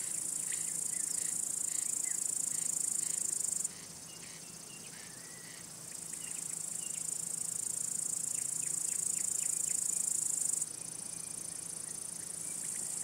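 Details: High, steady, buzzing trill from male crickets rubbing their elytra, a signal for attracting or courting females or scaring away rivals. It breaks off abruptly, returns gradually, and stops again near eleven seconds.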